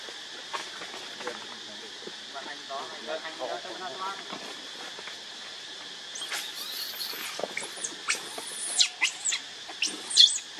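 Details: Baby monkey named Leo Rainbow crying to beg its mother for milk: a run of sharp, high squeals that rise and fall in the second half, over a steady insect-like hum and some soft human voices early on.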